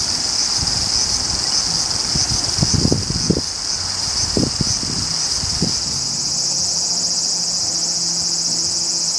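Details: Large brown cicada, Graptopsaltria nigrofuscata, a woodland insect of Japan heard July to September, its name likened to sizzling hot oil. A steady, dense, hissing sizzle fills the high range throughout, with brief low thumps of handling noise near the middle.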